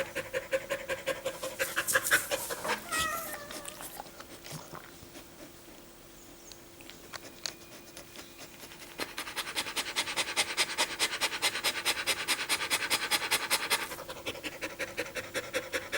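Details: After running in summer heat, a pet dog pants quickly (recorded 21.4.2016): bursts of breathy, hissing pulses about 146 per minute, a quieter lull in the middle, then a long run of fast even huffs.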